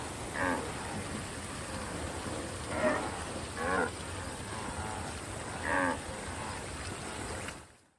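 A wildebeest gives short, nasal, moaning calls, spaced irregularly over a steady hiss.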